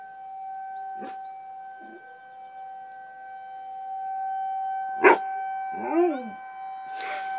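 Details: Dog named Riley howling in response to a tornado siren; a short, arching, harmonic howl rises then falls near the end, after a couple of thumps, over the constant droning siren tone.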